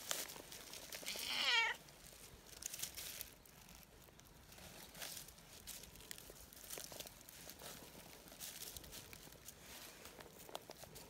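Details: Petted outdoors, a tortoiseshell community cat gives a brief, bright meow early on. Kneading and affectionate, it then falls quiet amid steady rustling and handling sounds.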